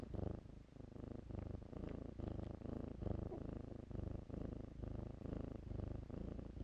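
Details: Deep, even purring from kittens at play among blankets, a throbbing low rumble that swells and eases in rhythmic pulses for several seconds without a break.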